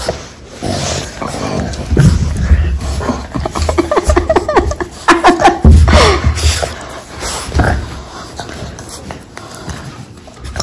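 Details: Pair of Boston Terriers wrestling in a bitey face play fight at home, giving pulsed, throaty grumbling growls with snorts midway, amid scuffling and thumps of bodies on the floor.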